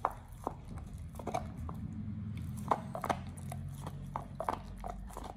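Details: Pit Bull Oliang chews his first raw ostrich paw: scattered crisp bite clicks and crunches over a steady low hum.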